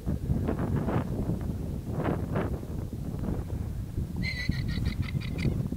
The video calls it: TP Guanacos noise